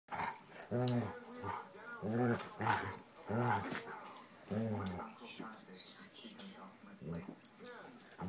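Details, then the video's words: Doberman "talking": a run of drawn-out, moaning, harmonic grumbles and whines, about five bouts over the first five seconds, then quieter murmurs and a short final yowl. "Talking Doberman"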